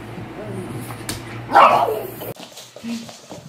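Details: Pug giving one short, sharp bark midway, rising out of a low steady indoor hum, with fainter rustling before and after.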